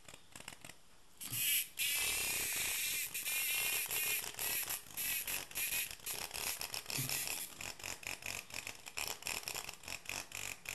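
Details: Tame cicada producing a loud, continuous rasping buzz for about three seconds, then breaking into rapid, uneven crackling pulses and scraping sounds for the rest.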